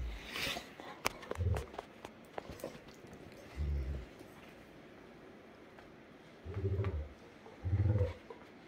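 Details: Sunday morning playtime between Great Danes Heartbreaker and Rhapsody, after Heartbreaker nips her nose: four deep, rumbling growls, each about half a second long, spaced irregularly, with a person's voice and soft scuffling in the room.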